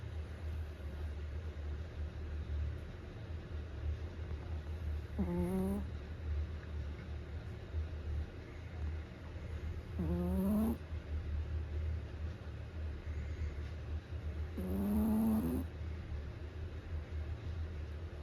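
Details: Sleeping pet Chihuahua snoring, each breath a squeaky, nasal, upward-sliding whistle repeated about every five seconds, three in all, over a steady low rumbling hum.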